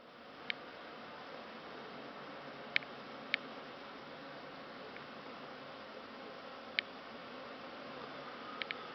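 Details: Honey bees recorded on Christmas Eve, December 2015, giving a steady broadband hum with no clear pulses, broken by a few sharp clicks.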